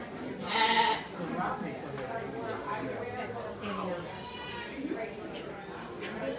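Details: Rowdy Cashmere goats at Shepard's Harvest 2016 give one loud, harmonic, wavering bleat lasting about half a second near the start, followed by people talking.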